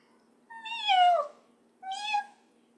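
A caracal gives two clear, high meows, the first sliding downward and the second shorter and level.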